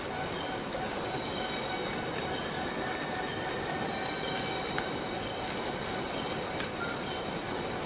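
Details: Forest cicadas in a steady, dense, high-pitched buzzing chorus that holds unbroken for the whole stretch, with faint thin whistled tones threading through beneath it.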